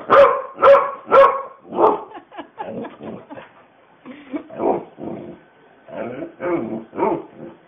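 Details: A dog answering her owner and 'talking' while out with her walker: three loud yelping barks in quick succession, then a run of shorter, varied moaning yowls and grumbles, roughly two per second, with faint human voices.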